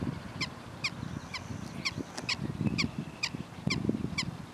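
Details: Prairie dogs giving sharp, high chirps repeated about twice a second in a steady series, over a low rumble of background noise.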